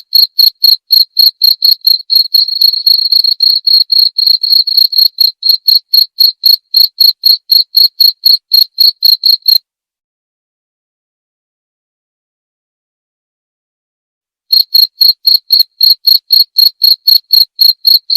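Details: Shrill cricket chirps in a fast regular train of roughly four per second, broken by a silent pause of about five seconds before the same high pulsing resumes; nothing else audible.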